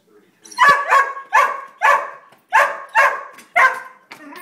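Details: Three greyhounds, two resident dogs plus a foster, barking after discovering a squirrel at a backyard bird feeder: seven sharp, mid-pitched barks in quick bursts over about four seconds, roughly two per second at first, then spaced out.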